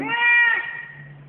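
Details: Single drawn-out meow from a very vocal male domestic cat, clear and harmonic, swelling then fading over about a second, with a faint low hum beneath.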